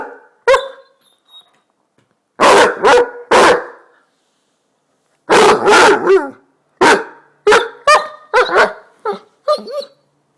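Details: A Basset hound barking to wake its owner gives deep, loud barks in uneven clusters of two or three. Some stretch into short, howling baying notes that bend in pitch before breaking off.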